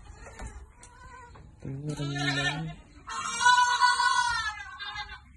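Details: Goats on a farm being given vitamins bleat twice: a low, nasal, wavering bleat lasting about a second, then a louder, higher, strained bleat of over a second, with a faint earlier call before them.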